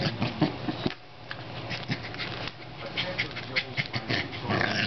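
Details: A corgi attacking an air pump makes a string of excited growls, grunts and yips in quick bursts.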